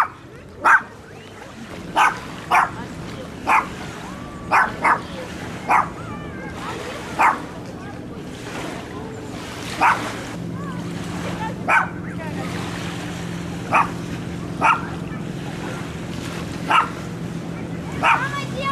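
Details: A dog barking, filmed handheld with a Sony camcorder: sharp, short barks repeated about every one to one and a half seconds, roughly fourteen in all, over a steady low hum.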